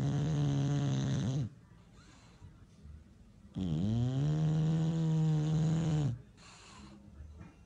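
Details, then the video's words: Sleeping bulldogs at My Second Home in Dubai, October 2015, in a snoring competition: long droning snores with a low buzzy rasp, two drawn-out breaths of about one and a half and two and a half seconds separated by a quiet pause. "Bull Dogs Snoring competition"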